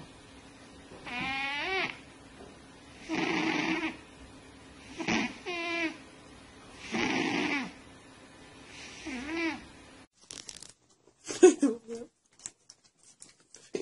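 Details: A cat gives a run of five meows, some clear and some rougher and breathier, spaced about two seconds apart, followed by scattered clicks and bumps.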